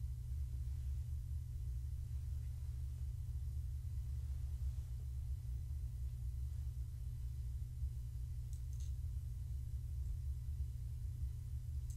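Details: A steady low rumble fills a quiet indoor room, with faint ticks of background noise and no animal voice.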